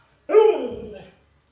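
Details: Pet Alaskan Malamute Luoluo gives a short, tonal, harmonic cry that starts abruptly, slides gently downward and fades out within about a second.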